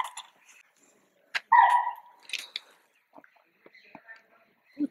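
A chital gives a loud, sharp, barking alarm call on sighting a tiger, with people talking nearby.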